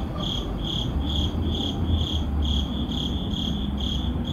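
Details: Cricket chirps at midnight in a city neighborhood: short high pulses repeated in quick succession, set against a soft low rumble of distant urban noise.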